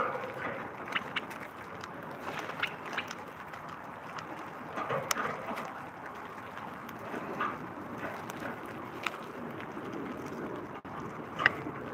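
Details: Only broadband rustling, handling knocks and outdoor background noise are heard, with no clear animal calls.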